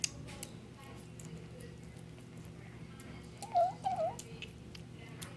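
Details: A Bengal kitten gives two quick, wavering mewing squeaks while eating, over soft chewing and clicking sounds.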